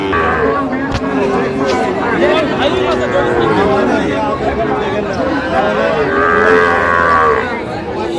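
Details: Sahiwal bull calves at a cattle market in Kushtia, Bangladesh, lowing amid a dense crowd; drawn-out moos overlap with constant chatter and bargaining voices.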